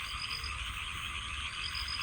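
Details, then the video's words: Countless frogs croaking at night beside a rice paddy next to a village home, a dense continuous chorus blended with the steady high trilling of many crickets. "অসংখ্য ব্যাঙের শব্দ। সাথে আছে ঝিঝি পোকার গান মানে ক্রিকেট পোকার গান।"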